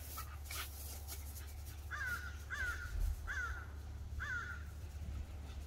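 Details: Bull Terrier with post-shower zoomies, giving four short, squeaky, bending whine-like yelps spaced about a second apart over a steady low hum.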